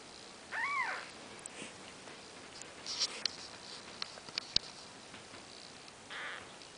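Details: A four-day-old Maine Coon kitten gives a thin, high mew that rises and falls, followed later by a fainter one.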